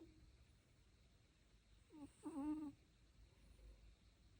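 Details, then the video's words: A sleeping dog snoring, giving one short whistling, wavering squeak around the middle of a quiet indoor stretch, with a fainter wheezy breath just before it. "Lucio snoring"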